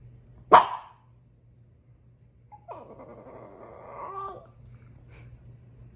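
A French Bulldog lets out a single abrupt bark, followed after a pause by a long, quavering whine that wobbles in pitch before trailing off. The grumbling complaint expresses her frustration over a toy.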